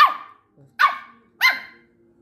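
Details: Miniature Schnauzer. Three short, bright barks from a miniature schnauzer puppy, each a sharp yap that fades quickly. They come in a steady rhythm, roughly every two-thirds of a second, with faint low noises between them.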